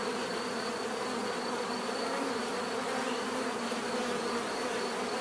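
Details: Many bees drone at once in a loud, unwavering buzz, wide and grainy, with a faint high steady tone above.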